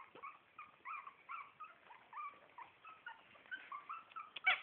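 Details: Four-week-old Shih Tzu puppies from a litter, heard quietly: soft, high squeaky whines and short rising-falling chirps, irregularly repeated, with a louder squeal at the end.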